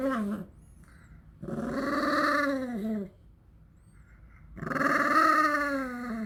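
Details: An elderly 13-year-old house dog, eager for a favourite treat being made at home, voices a series of long, groaning, tonal grumbles with short silent gaps between them, each slightly rising then falling in pitch.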